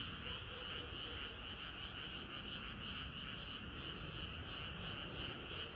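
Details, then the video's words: Hot summer night with frogs singing as a group, a thick unbroken wall of overlapping croaks, high bright tone over constant low background rumble. "개구리들의 합창은 끝이 없어라"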